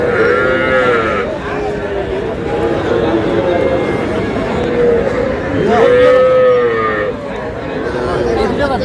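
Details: Small Sahiwal bull and heifer calves bought by a Shariatpur farmer, 11 August: drawn-out, wavering moos, one early and a louder rising-then-falling call near the end, over steady human chatter and background noise.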